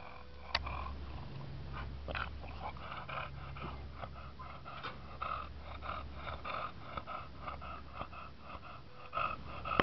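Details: An English Bulldog named Bubba settling down to rest gives a drawn-out, breathy yawn, followed by snuffling snorts and wheezy breaths at uneven intervals, low and quiet throughout.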